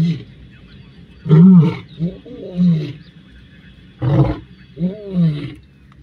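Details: Male lions from two rival coalitions in a fight, 29 December 2023: deep, rasping growl-roars come in two bursts of three. Each burst opens with a loud roar, followed by shorter, falling grunts a few seconds apart.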